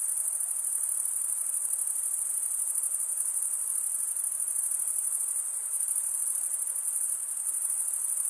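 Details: Continuous high trilling of many crickets stridulating: a bright, even, buzzy shimmer that carries on without gaps, with slight dips in volume near six and seven seconds; no other animals or noises.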